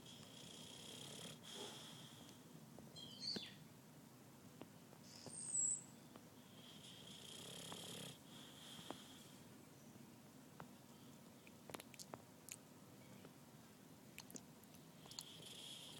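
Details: Merlin, a boxer about nine months old, asleep on his back with legs apart against a wall, snoring softly; faint airy hissing breaths come and go at an uneven pace in a quiet room.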